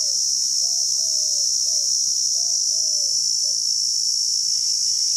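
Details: Cicada chorus from Rajsamand, Rajasthan, India: a steady, shrill, unbroken high buzz throughout, with a bird's short, low, slurred whistles repeated below it.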